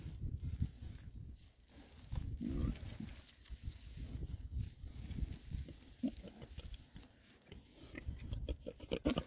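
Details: Six male Oxford Sandy and Black pigs, a rare breed, forage happily in winter between storms. Deep, low grunts come in uneven bursts, with soft rooting and snuffling throughout.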